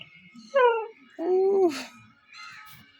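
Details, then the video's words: Pet dog named Chikku, said to have learned to talk, gives two short tonal whining yowls, the second longer and wavering, then a fainter third, in a quiet setting. "ചിക്കു മോൻ സംസാരിക്കാൻ പഠിച്ചുട്ടോ"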